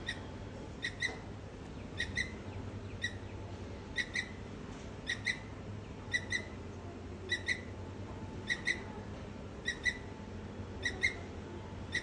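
A squirrel gives sharp, squeaky chips, repeated about once a second over steady rain.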